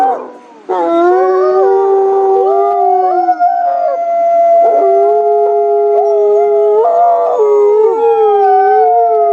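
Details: Wolves howling as a group, a chorus that begins abruptly after a brief quiet moment, then long sustained overlapping notes with occasional wavering slides and short breaks in individual voices.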